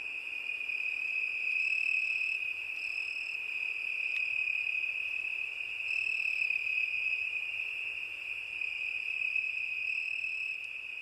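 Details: Steady, shrill cricket song on a summer night, one even high trill throughout, joined by a higher intermittent tone in short bursts and a faint low rumble underneath.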